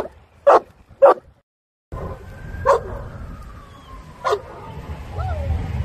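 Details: Sixteen-month-old Boerboel Shaka training amid the bustle of a busy New York public space: two quick barks, a pause, then two more spaced single barks over steady city traffic rumble and a faint passing tone.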